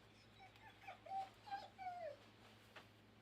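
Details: Dobby, a dog on a table during a live outdoor training session on a hot day, gives a string of thin, high whimpers, some gliding downward, clustered over about one and a half seconds above a low steady hum.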